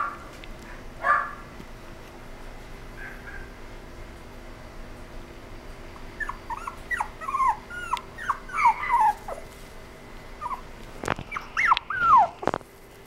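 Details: Toy poodle whining: a couple of isolated thin cries early, then a quick run of high, falling whimpers in the second half, each note bending downward; faint steady hum and a sharp click near the end.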